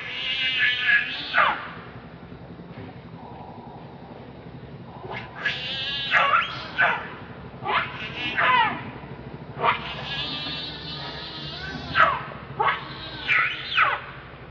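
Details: Angry, hungry baby monkey Leo cries for its mother's milk in repeated bursts: harsh, piercing screams with wavering pitch come in short clusters every second or two, separated by quieter noisy gaps.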